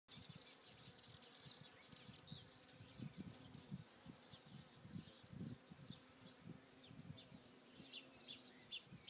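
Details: Bees among flowers on Alicudi in the Aeolian Islands, Sicily, producing a low, fluctuating buzz that swells and fades as insects pass, with faint high chirping birds in the background.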